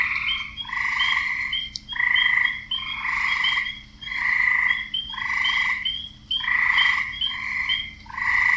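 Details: Frog; advertisement croak; males calling to attract females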